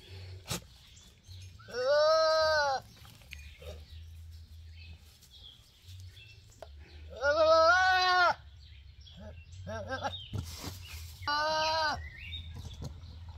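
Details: Male goat bleating in three loud, drawn-out, wavering cries of about a second each, spaced several seconds apart, with fainter short calls and clicks between them and a low hum underneath.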